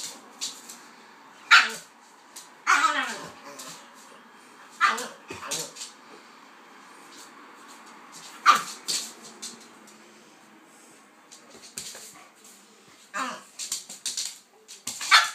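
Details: Kaiser and Viki, a pitbull and a King Charles spaniel, play-fighting together; loud barks and yelping growls break out every few seconds among scrabbling and rustling, with a faint human voice in places.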